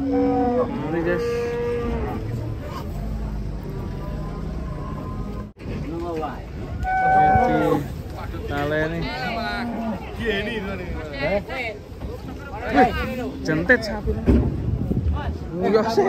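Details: Several cattle being unloaded from a truck, giving overlapping harmonic moos, some long and level, others short and bending upward, over background music and a busy, noisy setting.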